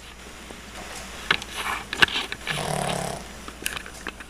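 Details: Sugar, a pet dog, snores while having sweet dreams: one drawn-out rasping snore near the end, preceded by faint clicks and soft rustling sounds.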